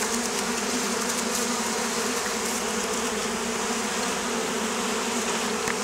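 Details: Oriental hornet swarm in Campania, Italy, pests of local beekeepers; a continuous, even buzzing drone with a humming low band and a hissy upper layer, unbroken throughout.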